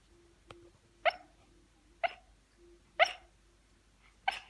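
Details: Shiba Inu puppy dreaming and barking in its sleep: four soft, short muffled woofs spaced about a second apart, with faint breathy hiccup-like sounds between them in a quiet room.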